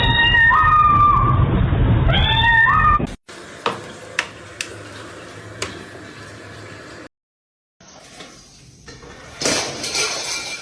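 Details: Cat meowing in a compilation of funny cat moments: two drawn-out, steady meows fill the first three seconds, followed by scattered clicks and taps over quiet room noise, then a brief burst of rustling.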